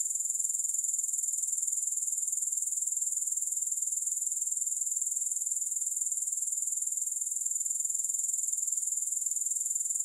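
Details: Steady grasshopper sound without music: a thin, very high insect trill, continuous and evenly pulsed from start to finish, never pausing, with no other voices or noises.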